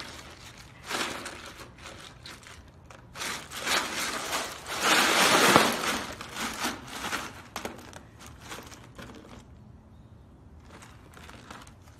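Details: Crinkling, crumpling bursts and scraping noises rise and fall, with faint speech and no clear animal voice.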